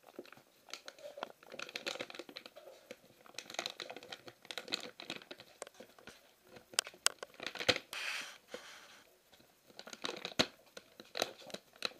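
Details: Indoors, paper rustles and tears, with scattered crunching and chewing-like clicks and no clear voices.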